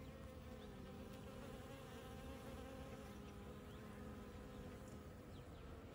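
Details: Bees foraging on desert flowers that bloomed right after rain, on a Monday morning; a steady, low droning hum of many wingbeats continues without a break, with faint thin chirps high above.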